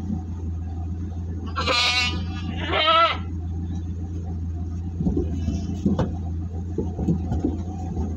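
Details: Large goats being delivered near Singosari, Malang, give two loud, wavering, harmonic bleats close together, over a steady low engine hum with faint clicks and knocks.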